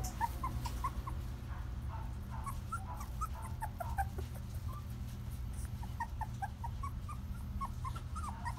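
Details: Female Shetland Sheepdog puppy born 22 February 2018, nervous during her first filming; short high whimpers and squeaks repeated in quick irregular bursts over a steady low hum.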